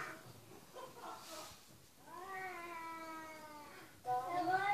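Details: Cat giving a long drawn-out, slightly falling meow lasting about two seconds, then a shorter rising meow at the end, with a woman speaking Portuguese softly beforehand.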